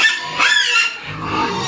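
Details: Pig-farm Duroc in Assam letting out a loud wavering squeal that bends upward and falls, followed by a lower, rougher drawn-out cry.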